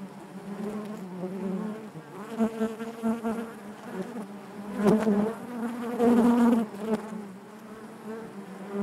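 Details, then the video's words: Louder, thick buzzing of honey bees in their hive, a low humming drone with rich overtones that surges strongly midway before settling back. "bees therapy hive natural buzzing sound"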